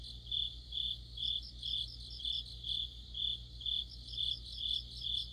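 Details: Autumn chorus of crickets and other insects by a streetlight: one cricket's bright chirps repeat about twice a second, over a higher pulsed trill from a second insect. A steady low electrical hum runs underneath.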